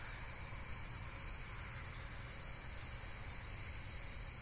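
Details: Insect calling in a steady, high, shimmering trill with fast regular pulses, continuing without a break, over a low background rumble.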